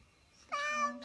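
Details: Domestic cat indoors uttering a short meow lasting about half a second, harmonic and fairly steady, after a quiet room background.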